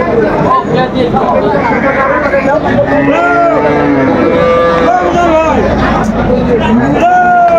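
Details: Cows with calves at Aftabganj cattle market in Dinajpur, Bangladesh, on June 21, 2025: a drawn-out lowing moo rises and falls mid-clip, with a second call near the end, over constant bargaining chatter and crowd noise.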